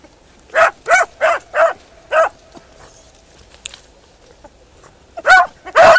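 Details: Beagle Harrier out in a ploughed field: five ringing barks in quick succession, a quiet gap of about three seconds, then two more loud barks.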